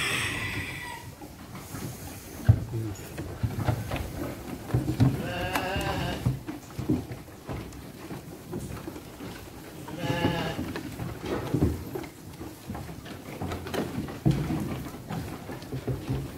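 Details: Garut sheep, five to six months old and weighing 18 to 23 kg, kept for qurban or aqiqah sacrifice, giving two quavering, wavering bleats about four seconds apart, with low rumbling background noise and scattered knocks between calls.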